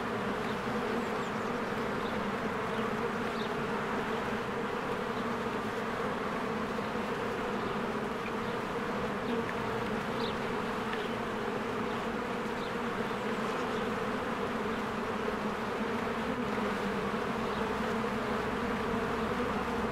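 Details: Honeybees in spring flying in and out of their hive among blooming flowers, a dense steady buzzing hum with tonal bands low in pitch, continuous throughout, with faint brief chirps of birds above.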